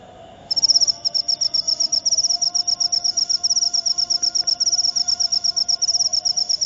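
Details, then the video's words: Cricket, called jangkrik upo, starting to call after a brief quiet opening: a high, shrill chirping of rapid pulse bursts, roughly four bursts a second, steady and loud, with a faint low hum beneath. "Jangkrik upo"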